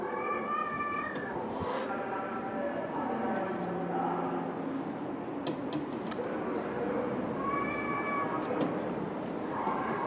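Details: Feral cats in an abandoned house, 10 March 2016, kittens frightened by a larger male boss cat at feeding time; a few faint meows at start and end over steady broadband background noise.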